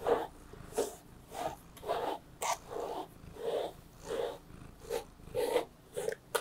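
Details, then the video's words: Relaxed female Ragdoll cat indoors, enjoying treats and brushing, purring in regular rhythmic surges, about nine breathy pulses roughly every three-quarters of a second, steady and unhurried with little other noise. "One pleasant day of the cat I Purring ASMR"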